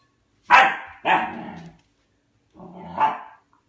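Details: Pet dog barking at his food bowl for food indoors: two sharp, loud barks in quick succession, a pause, then a longer, rising and falling bark.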